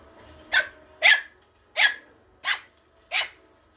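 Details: Malkie puppy (Maltese-Yorkshire terrier mix) fearlessly taking on an older dog in play: five short, high, sharp yaps, about one every half second to 0.7 seconds, in a quiet room.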